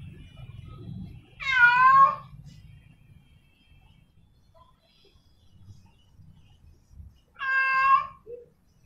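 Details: Female domestic cat in heat calling for a male: two long, wavering, drawn-out meows, about six seconds apart, over a faint low background hum.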